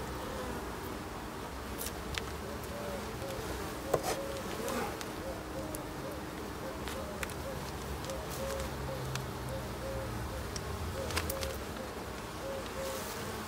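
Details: Honey bee colony humming steadily through an end-of-summer inspection of the hives on 22 September, a sustained droning tone with frequent clicks, knocks and some low talking in the background.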